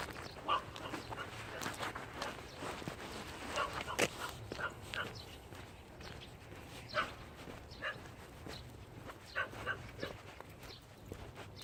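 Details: Jindo named Thunder on a walk outdoors. Brief yelping barks come in scattered bursts every two to three seconds, with rustling and footstep-like noise between them.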